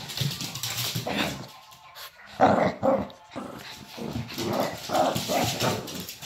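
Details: Shih Tzu play fighting indoors, making rough growls and short bark-like bursts that come in clusters separated by a brief quiet gap.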